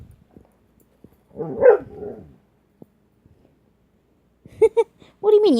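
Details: Shania, a pet dog getting in trouble, talks back with a short moaning, harmonic grumble, then a few brief yelping vocal bursts near the end, while a person speaks to her in a quiet room.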